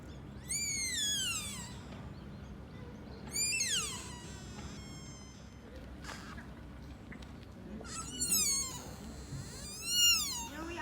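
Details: A sika deer fawn named Minami at Nara Park, by Todai-ji's Nandaimon gate in Japan, gives four high, falling, harmonic squealing bleats, each under a second or so, spaced a few seconds apart, over a low murmur of crowd and traffic.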